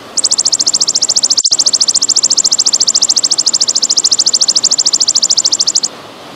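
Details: Golden grasshopper in the pausing style, recorded with trickling water as training sound for songbirds: a high, shimmering buzzy trill of rapid even pulses, about twelve per second, holding steady for nearly six seconds over soft background hiss.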